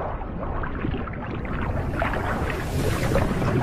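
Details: Steady wind rumble and water noise from a boat, with no animal calls.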